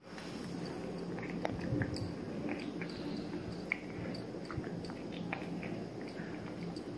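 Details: Kosey, a three-month-old male Maine Coon Persian mix kitten, eating indoors: soft wet chewing and biting clicks over a low steady room hum, with a few sharper crunches around the middle.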